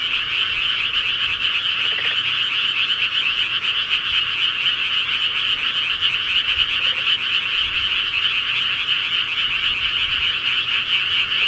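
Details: A rural nighttime frog chorus rings on steadily, countless rapid croaking pulses fused into one even, trilling wall of sound with brief fainter lower notes at about two and seven seconds.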